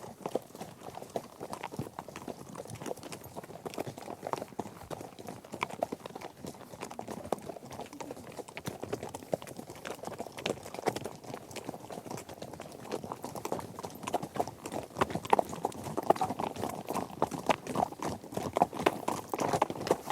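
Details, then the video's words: Trekking horse herd crossing different surfaces including grass, dirt and gravel; a continuous crowded clatter of hooves for twenty seconds, growing somewhat louder and sharper toward the end. "Epic Horse Trek: Herd on Various Surfaces"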